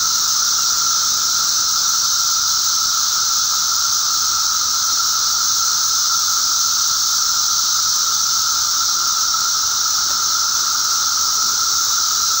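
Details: Periodical cicadas during a mass emergence in eastern North America on May 19, 2011: a dense, steady, hissing drone with a strong high band and a lower whining tone, unbroken throughout.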